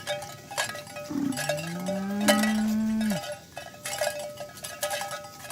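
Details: Herded village cows heading to their pen in the morning: one low, level moo held for about two seconds, flattening and cutting off abruptly, over constant jangling cowbells.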